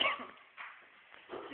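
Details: Labrador Retriever puppies, nine in a litter, loose indoors at home after chewing up a bin, kitchen and washing; short high yipping barks open the clip, with two further brief yelps and quiet room noise between.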